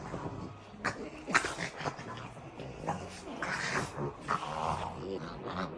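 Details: French Bulldogs indoors wrestling in play, giving snorting growls, grunts and short whimpers in bursts, with a person's voice heard faintly at times.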